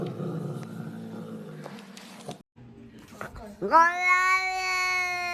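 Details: Domestic cat indoors giving one long, drawn-out meow that starts with a quick upward rise, then holds a steady, richly tonal wail for almost two seconds; before it come muffled human talk, rustling and a brief silence.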